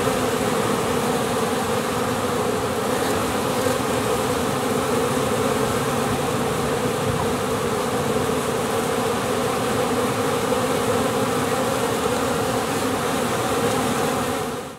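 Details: Swarming honey bees in flight, perhaps half the colony leaving or the young queen away mating; steady, thick droning buzz holding an even level for the whole stretch before fading at the end.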